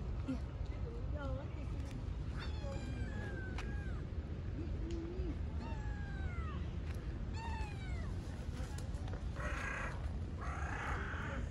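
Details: Several stray street cats jostling over one another to be petted; a run of short curved meows, some high and thin, some lower, scattered across the stretch amid a man's talk, rustling and brief bursts of handling noise.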